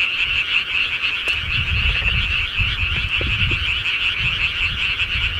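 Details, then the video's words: Countryside frogs calling at night: a dense, unbroken chorus of high, rapid croaking trills that blend into one steady shimmer, with soft low rumbles and thumps underneath. "시골개구리 소리"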